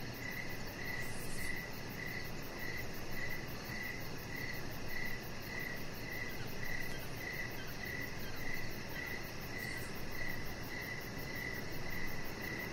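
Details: Crickets outside on a deck in the evening: steady short high chirps repeated about twice a second, with a fainter pulsing shimmer higher up and a constant low rumble underneath.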